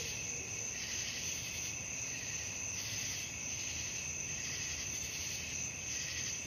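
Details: High shrill cricket chorus at night, steady ringing with rhythmic swells about once a second, over faint low background noise.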